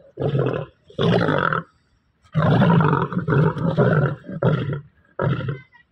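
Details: Captive Bengal tiger kept by a trainer, its deep, rasping roars coming in six separate bursts, two short ones first, then a long grinding stretch and a final short roar.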